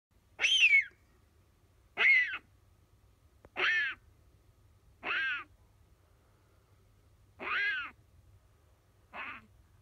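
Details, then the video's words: Captive-bred Siberian lynx kitten calls out while dreaming a nightmare: six high, thin, wavering mews, each about half a second long, spaced roughly every one and a half seconds over a faint low hum. "Lynx Kitten dreaming nightmare"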